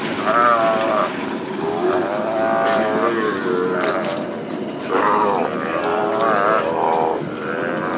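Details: Calves bawl during branding work on the open plains of Hato Las Carmelitas ranch. There are long, wavering harmonic moos, several in a row, some overlapping, with a rough background murmur of the herd.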